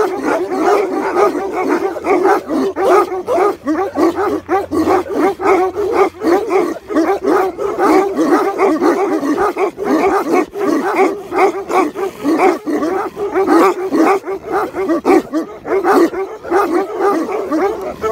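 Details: A group of Tibetan Mastiffs keeps up a long, continuous din of overlapping barks and yelps, sharp bursts piling on one another throughout, with a faint low hum near the start.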